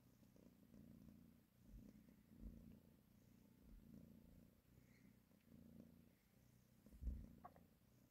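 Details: Nursing mother cat caressing her kittens, her soft, deep purr pulsing in breath-length waves at low volume, with a brief louder thump near the end.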